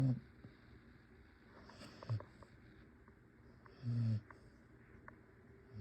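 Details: Yoya, a pet dog, snoring while asleep indoors: low rumbling snores at the start, near two seconds and around four seconds, with quiet room sound between.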